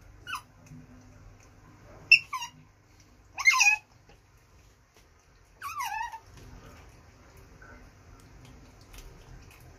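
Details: Pet baby otter Coco, trying goat's milk for the first time, lets out a few sharp squeaky chirps that slide steeply downward. The calls come in short irregular bursts, with a soft low hum in the quiet gaps between them.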